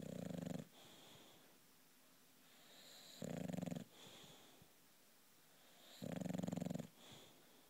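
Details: Female British bulldog asleep indoors, snoring away: three rough, low, drawn-out snores roughly every three seconds, each followed by a softer wheezy exhale in the quiet gaps.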